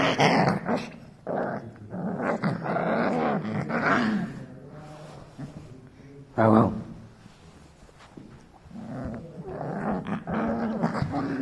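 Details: Rottweiler puppy, a newly arrived family pet, growling indoors; repeated low, wavering rumbling growls in bursts over several seconds, overlapped by human speech and handling noises.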